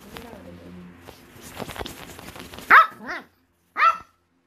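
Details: Angry Pekingese indoors, teased and denied breakfast, barks for its food: low rumbling and faint speech first, then a loud bark with a wavering falling tail around three seconds and another a second later.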